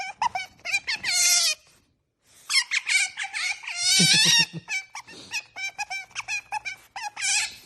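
An otter gives shrill, bird-like chirps and squeaks in quick bursts, with a brief pause before a long, rapid chattering run, mixed with a few sniffing huffs.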